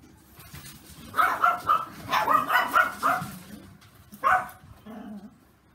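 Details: Puppies about 30 days old, three littermates kept together: a quick run of high, sharp yips and whiny little barks lasting about two seconds, a pause, then one more yelp and a soft, low whimper.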